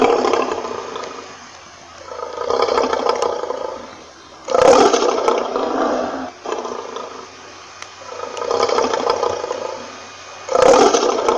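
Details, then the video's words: Roaring lion, with rough breathy swells rising and fading about every two to three seconds, broken by two louder, harsher bursts, one near the middle and one near the end. "lion Roaring Sound"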